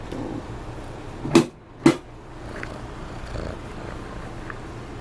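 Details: Mark, a kitten from S.A.V.E. Animal Rescue, purring indoors in a small room: a soft, low continuous rumble, broken by two sharp handling knocks near the middle.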